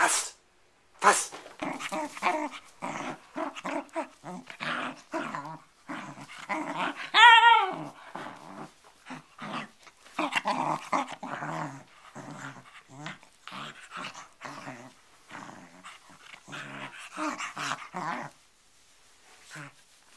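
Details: Bedlington Terrier playing with a cloth indoors, producing rough, broken growls and snorting breaths in uneven bursts, with a brief higher whine near the middle; short commands spoken at the start.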